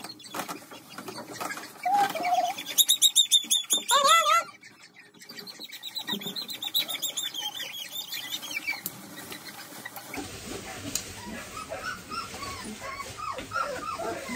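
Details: Several German Pointer puppies having their nails trimmed give high, shrill squealing yelps in bursts, followed by softer rising-falling whines, with rustling and handling noise throughout.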